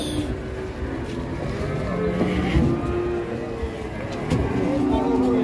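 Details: Large cattle being unloaded from a truck give low, drawn-out moos that rise and fall, partly masked by chatter, an engine and general outdoor noise.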